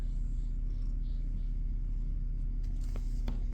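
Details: Constant deep rumbling hum fills the recording, with a few faint clicks near the end and no animal sounds.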